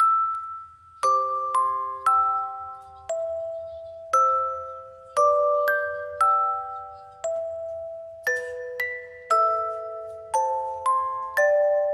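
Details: A gentle glockenspiel lullaby is heard, with chiming mallet notes struck about once a second over a faint low hum.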